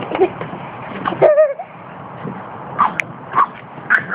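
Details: Boston terrier puppy defending the decking against a miniature schnauzer: short sharp yips and barks at intervals, with a brief whining wavering note, amid a noisy background.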